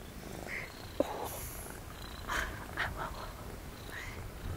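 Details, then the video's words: A small female kitten in the remote mountains of Greece purrs steadily in a low, continuous rumble, with soft human voices nearby. "Ona jest taka śliczna! Po prostu ciągle mruczy."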